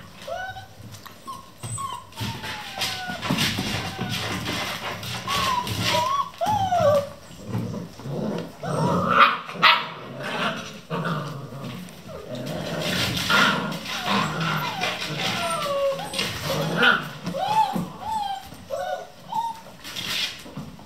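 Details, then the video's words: Eleven Vizsla puppies at play in the small hours, 3 am, in a kennel: frequent whiny yelps and squeaky whimpers, occasional short barks, amid constant scuffling and bumping. "11 vizsla puppies play non-stop"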